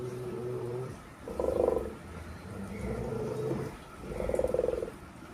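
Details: Snarling bursts from a Rottweiler during a fight, three harsh, throaty growls about a second and a half apart, over a low steady rumble and a person's calling voice.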